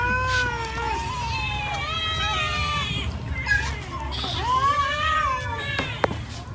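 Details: Cats eating rice give several overlapping, drawn-out meows that bend up and down in pitch, continuing almost without pause over a low background rumble, with a sharp click near the end.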